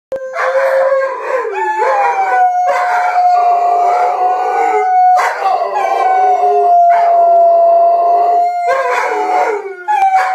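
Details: Rhodesian Ridgebacks howling together, a behaviour repeated several times a day: sustained, slightly wavering howls held for several seconds, overlapping with brief higher yelping bursts and short breaks between phrases.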